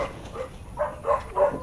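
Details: Belgian Malinois named Warwolf, a dog in training, giving three short tonal yips at evenly spaced intervals after a quieter opening whine, with a person's voice faintly nearby.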